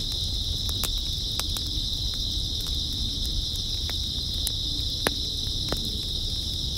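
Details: Grass insects on an early autumn night keep up a steady, unbroken high shrill chirring chorus, with scattered sharp clicks and ticks and a low rumbling background.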